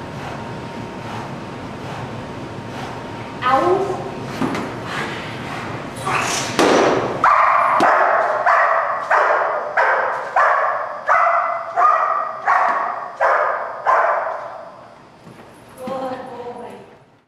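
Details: Malachai, a German Shepherd Dog in Schutzhund protection work on 28 February 2010, barks in a steady, forceful run of about eight barks roughly one per second after human voices, then one last bark as the sound fades.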